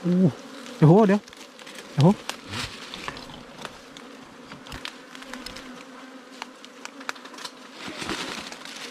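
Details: Wild ground bees, smaller than domestic and giant honeybees, swarming as hunters excavate their underground nest; a human voice opens, followed by a long steady low buzz with light clicks and knocks.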